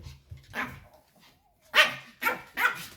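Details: White Pomeranian kept as a house pet, barking loudly and displeased as its owners prepare to leave home; one bark, a pause, then three sharp high barks in quick succession indoors.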